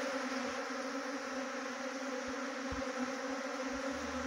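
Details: Honey bees swarming at a trapping site near Chakrata, Uttarakhand, make a constant droning buzz with a steady higher partial, set against broad hiss and a few soft low knocks.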